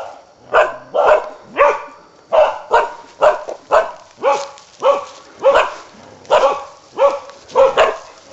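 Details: Barking of a Karelian bear dog during a wild boar hunt: a steady run of single coarse barks, spaced fairly evenly at about one and a half per second throughout.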